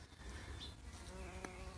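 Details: A small bumblebee foraging among garden flowers, recorded up close on 24 November 2020 shortly before it flies off; a quiet, even buzzing drone persists throughout, broken by a short click, over low wind-like rumble.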